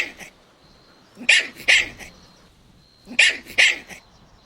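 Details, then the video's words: Golden Retriever puppies at play in a meadow, giving shrill, bright yips in pairs, two pairs about two seconds apart, over light background hiss. "Adorable Golden Puppies Playing Outdoors | Relaxing Dog Sounds"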